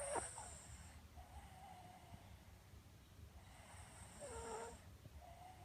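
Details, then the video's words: Pet dog snoring softly while asleep, two drawn-out, hissy breaths about three seconds apart, each ending in a faint whistling tone, over a quiet indoor background. "Snoring Dog"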